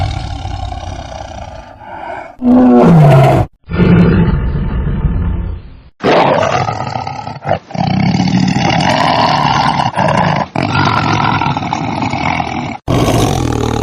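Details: Tiger roars and growls in a choppy sequence, loud raspy outbursts broken by abrupt cuts and brief silences, including one sliding, wavering moan.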